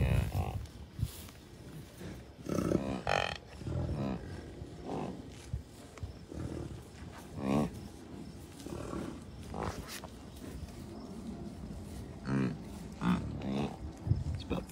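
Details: American bison herd of many cows, a few bulls and dozens of calves at Rocky Mountain Arsenal Wildlife Refuge, Commerce City, Colorado, on June 2, 2022. Short, low, harmonic grunting bellows repeat every few seconds over wind noise, a man talking and background music.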